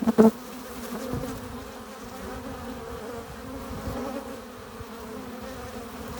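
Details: Bees arriving at a hive entrance carrying pollen and nectar. A single sharp buzz from a nearby bee opens the clip, then a soft, even droning hum carries on steadily with no other clear sounds.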